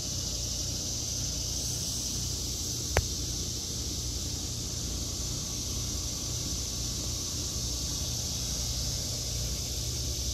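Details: Cicadas singing in a vegetable garden in August 2023: a steady, unbroken high buzzing drone throughout, over a low rumble and one brief sharp click near the three-second mark.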